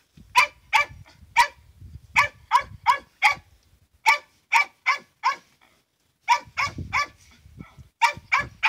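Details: Hunting dogs give loud, abrupt barks, often several in rapid succession, with one longer silent gap in the middle. Low rumbling handling noise is heard between some of the barks.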